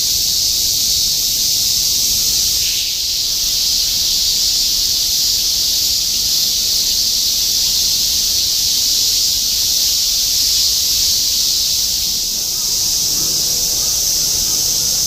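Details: Shinjuku, Tokyo, 2016: an unbroken wall of cicada song, shrill and hissing, holding level for the whole stretch with a brief surge near three seconds and a faint urban rumble underneath.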